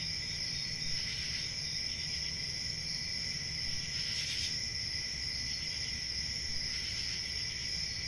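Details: Crickets in a steady, unbroken high trill, with brighter pulses of chirping swelling around the first and fourth seconds and again near the seventh, over a soft low rumble.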